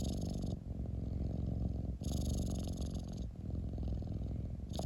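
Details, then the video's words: Domestic cat producing a loud low rumbling purr in short breath-driven bursts, brief pauses and hissy inhales separating about three rumbling stretches. "Cat rumbling sound 猫のゴロゴロ音"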